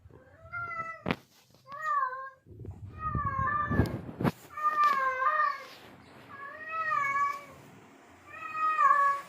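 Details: Tomcat in heat, meowing to lure a female: a string of long wavering yowls, some overlapping sharp clicks and knocks in the middle, with the calls growing rougher and more insistent toward the end.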